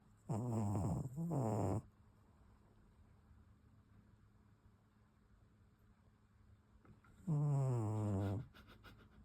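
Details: Makyu, a pet cat in deep sleep, snoring: a low, rumbling, harmonic snore split into two quick pulses at the start, then a long quiet pause before one more drawn-out snore near the end.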